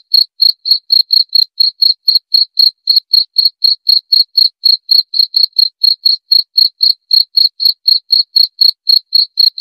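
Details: {'text': 'Crisp, clean cricket chirps repeated about four times per second in an even rhythm, each a short bright pulse against total silence.', 'len': 22}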